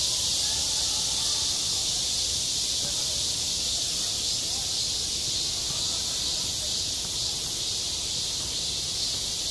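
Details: Cicada singing on a school playground in the height of summer: a steady, dense, high-pitched buzzing hiss that runs unbroken for the whole stretch, with a faint low rumble of background noise beneath.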